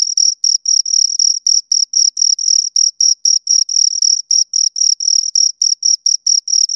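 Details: Two crickets producing rapid high chirps, bright tonal pulses repeated about four times each second with occasional longer merged bursts, clean and uninterrupted with a quiet background.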